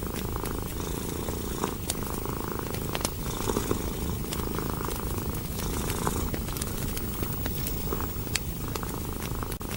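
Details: Contented cat purring by a warm fireplace, a deep, even rumble rising and falling in breathing cycles, punctuated by frequent sharp crackles from the fire.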